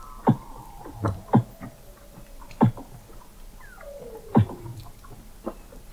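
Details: Weddell seals beneath Antarctic sea ice in McMurdo Sound, recorded in November 2017 by a hydrophone station 21 m down: irregular deep thumping pulses about once a second, plus a brief falling whistle.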